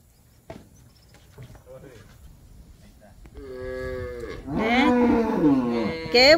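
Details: Calves in Campeche on 20 August 2022: after quiet clicks and rustling, a calf bawls in long, harmonic, wavering moos that swell louder toward the end, with a brief human voice at the close.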